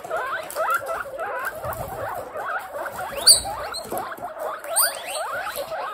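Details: Baby guinea pigs kept as pets in a large group utter rapid runs of short squeaky chirps, rising and falling notes repeated several times a second, with a few sharp high squeals and bedding rustle.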